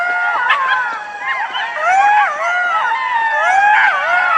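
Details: Golden jackals howling in a group chorus: many overlapping wavering, sliding wails at mid pitch rise and fall together, with brief yipping notes and no steady background noise.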